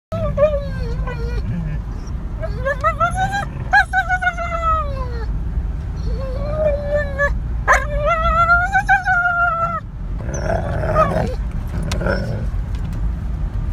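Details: A wolfdog gives a run of drawn-out, wavering whines that bend up and down like half-howls, inside a car.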